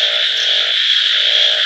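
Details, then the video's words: Many frogs croaking together: a constant shrill, buzzy wall of calls, with deeper pulsed croaks rising and falling beneath it in two stretches. "voice of frogs"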